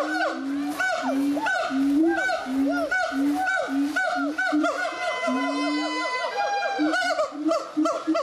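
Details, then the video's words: Gibbons at the Zoo de Doué la Fontaine, 2010, singing in a steady run of short, hooting whoops repeated about twice a second, joined by higher swooping notes and a long sustained tone partway through. "Le chant des Gibbons, singing Gibbons"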